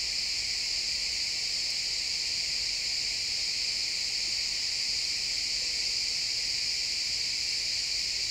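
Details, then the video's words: Sunset in a pine forest with crickets chirping, recorded in real time in XY stereo: an even, high-pitched insect drone that holds steady throughout, many callers merged into one band. "Cricket sounds in the pine forest"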